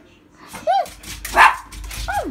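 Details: A Malshi poodle dog greeting its owner as he comes home: a bright falling yelp, then a short harsh bark, then another high whine sliding downward, with a quiet room behind.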